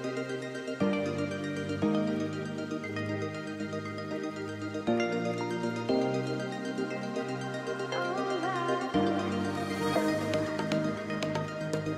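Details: Soft new-age background music with sustained chords that change every few seconds, and no animal sounds.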